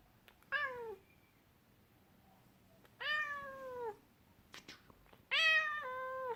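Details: An angry Scottish Fold cat utters three long, rich meows, each sliding gently downward, the last one loudest and longest; a few faint clicks and taps fall in the pauses.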